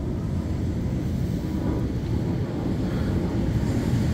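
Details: Beach wind buffets the microphone over the rush of surf, with no animal voice.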